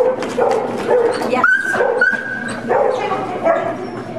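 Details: A dog named Zippity at an AKC agility trial in Oklahoma City, screaming out as the handler calls the weaves: a high sustained whine held about a second, then repeated, with yips among hall chatter.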